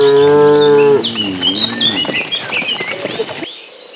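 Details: Cattle herd on the move to green grassland: a loud, steady moo holds for about a second, then bends lower into a wavering tail, followed by bright bird chirps and twitters.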